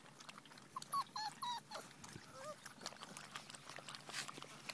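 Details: Five-week-old Giant Schnauzer puppies. A quick run of high, thin, squeaky whimpers crowds the first two seconds, followed by a lower wavering whine. Soft rustling and clicking continue underneath.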